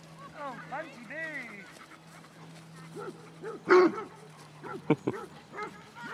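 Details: Basset Hounds, part of a 22-strong walk at Belwade Farm, Aboyne, Scotland, on 2 October 2016, with a falling series of stacked bays, then a loud harsh burst and quick yips, people talking nearby.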